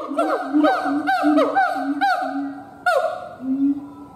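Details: Siamang gibbon howl with a fast series of short, falling barks about every half second over sustained deep booming tones, then a lone loud swoop and a final boom.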